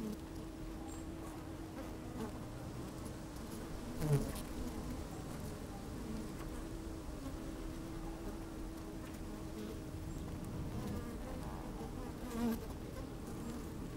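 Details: Worker honey bees busy at an opened hive, sunny day with some wind, microphone down in the hive: a sustained low hum with a faint steady tone, two louder bumps near four and twelve seconds.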